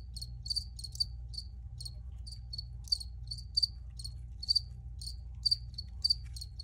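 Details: Crickets chirp steadily, crisp high pulsed notes repeated about twice each second, a few louder doubled chirps standing out, with only a faint low hum underneath.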